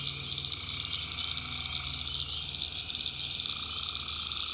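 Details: Night swamp in the North Carolina backwoods, tree frogs calling together in a thick, unbroken trilling chorus over a constant high-pitched insect hum, with a faint low drone beneath.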